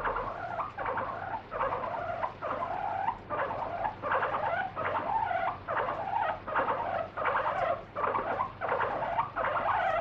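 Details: Free-roaming pet guinea pig protests with loud repeated squeals while being held and rubbed clean with a wet wipe during its daily foot check. The bursts are shrill and bent in pitch, coming about every three quarters of a second.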